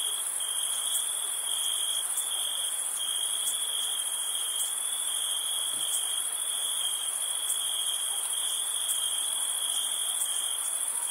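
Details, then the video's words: Crickets chirping on a summer night while camping: a steady, shrill, unbroken trill with a higher shimmering chorus above it that swells in soft pulses about once a second, with no other sounds. "NIGHT CAMPING CRICKET NOISE"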